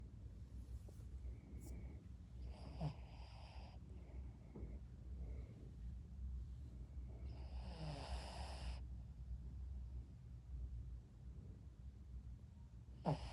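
A Shih Tzu snores softly in sleep, a low rumbling breath with occasional snorts.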